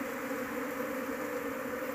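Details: Buzzing mass of Apis cerana honey bees as a large colony is searched for its queen, intended for keeping at home; unbroken, thick humming drone with steady low-pitched tones and no other sounds.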